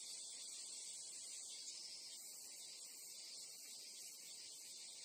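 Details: Continuous bright insect shrilling from Japanese crickets or cicadas, many callers merged into one even, sizzling high band with slight flickers, over a low quiet background hiss.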